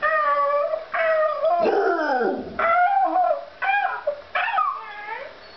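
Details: A pet puppy cries along when a child pretends to cry, giving drawn-out wavering howls, rich in harmonics, that slide down and then rise again in roughly one-second phrases. A noisier, descending cry-like sound breaks in midway.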